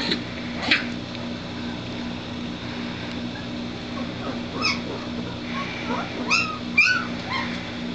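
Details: Three-week-old White Shepherd puppies of a breeder's Q litter, already eating well and moving around; high thin whimpers and squeaks, rising and falling, scattered among a steady low hum.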